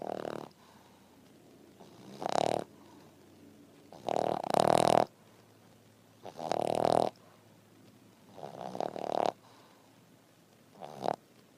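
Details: A French Bulldog snores after breakfast while resting, in loud, rasping bursts, each breath rattling for about a second.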